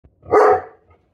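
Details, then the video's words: Great Pyrenees female dog indoors barks once, a single loud deep woof, warning away perceived danger to protect her owner. "Ferocious Great Pyrenees! Protect Mama!"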